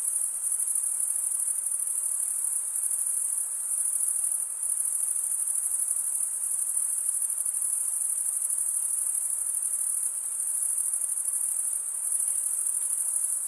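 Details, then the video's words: Forest crickets on a summer night keep up a seamless high shimmering chirr, steady in loudness with tiny momentary dips, accompanied only by a soft even hiss underneath. "Pure cricket music for 20 min"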